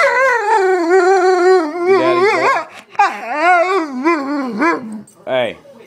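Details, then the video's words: Pet dog named Shadow, called Daddy's boy, howls in wavering, warbling tones while being coaxed to say I love you, with pitch rising and falling in quick bends and short breaks between phrases. "Wolf says i love you"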